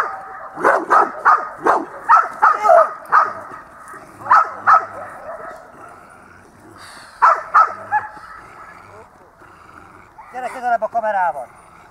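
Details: At dog school on 8 December 2013, the dog Itus lets out rapid barks in bunches, then a few isolated ones. A person speaks between the bursts, and a voice finishes the recording.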